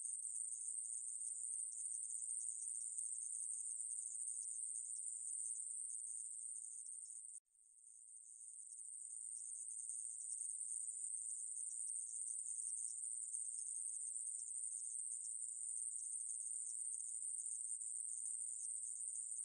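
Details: Continuous shrill insect buzz from a conehead katydid (애매부리), a 2020 National Institute of Biological Resources recording. The note stops briefly once, partway through, then fades back in and runs on steadily.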